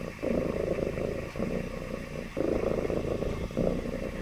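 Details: Domestic cat purring happily, a loud low rumble in long phrases separated by short breath pauses roughly every second.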